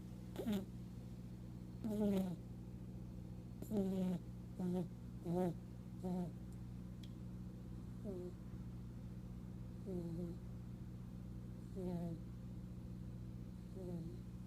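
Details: Pet rabbit asleep, snoring loudly enough to be heard a room away: short squeaky, nasal whistling snores with wavering pitch, repeated about every two seconds, softer toward the end, over a steady low electrical hum.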